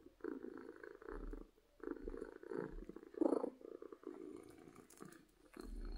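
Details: Happy domestic cat purring loudly from contentment; a low, rumbling purr in rhythmic surges of about one second each, separated by short breathing gaps, recorded close up with no other sounds.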